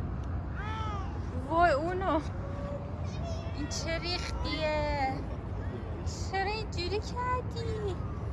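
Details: Stray street cat being petted, giving several arched, tonal meows that rise and fall, some short and some drawn out, spread across the clip, mixed with a woman's coaxing voice and a low urban traffic hum.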